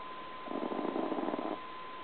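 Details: Tiny two-pound Chihuahua named T.T. snoring while asleep: one rattling, fluttery snore lasting about a second, with a faint steady electrical hum behind it in a quiet room.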